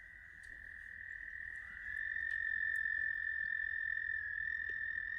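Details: American toads calling at South Point, Huron, Ohio, on 10 May 2022: a long, steady, high musical trill held without a break, quieter at first, then swelling louder after about two seconds and continuing to the end.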